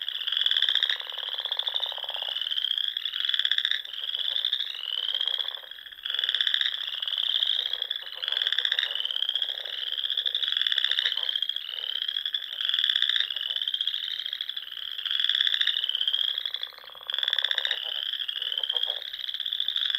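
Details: Frogs sing together in springtime at ponds in the Sandhills of Nebraska. Shrill, pulsed trills repeat roughly every second, piling over one another into a steady chorus; a low, breathy rush is heard briefly near the start.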